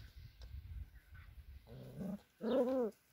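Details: Six-week-old male border collie puppies from a working-dog kennel in Kyiv, Ukraine; faint murmurs, then a low whimper, then a louder drawn-out whine that rises and falls, with a quiet background.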